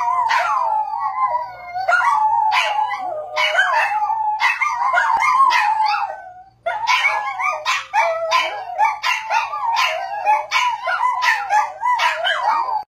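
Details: Dog howling continuously, a wavering mid-pitched wail with frequent yipping breaks and bark-like accents, pausing briefly halfway through before resuming in choppier pulses.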